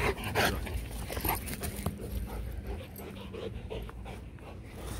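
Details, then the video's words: Rottweilers Loki and Siro during a mating session, breeding hoped to give puppies in 2021; rhythmic breathy panting bursts repeat several times a second over low rumbling background noise, with a few sharper clicks and thumps. "Ngã ngửa mấy lần mới phối giống xong Loki &Siro mating"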